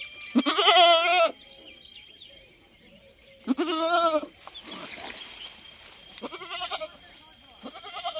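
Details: Goat giving a pair of long, vibrating bleats a few seconds apart, then two shorter, softer bleats near the end, with some rustling noise between.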